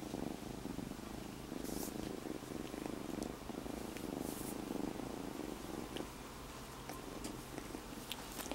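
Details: A newly rescued kitten purrs steadily on its owner's belly, a low continuous rumble with soft rhythmic pulses, before biting.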